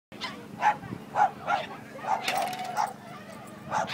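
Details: Great Dane barking while playing flyball over 12 inch jumps; short deep barks repeated roughly every half second, with a brief clatter midway.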